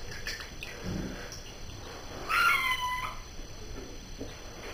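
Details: Domestic cat meowing while taking a bath, one short harmonic meow with a descending pitch contour near the middle, over faint room and water background.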